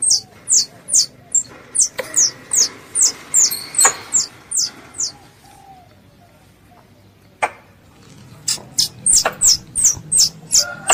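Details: High, squeaky chirps from a squirrel calling its mother come in quick regular series, about three per second, broken by a quiet stretch with a single click before the rapid chirping returns.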